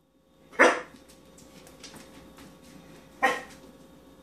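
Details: Year-old male English springer spaniel, fearful of almost everything and now of apple pears, gives two short sharp barks about two and a half seconds apart in a quiet room.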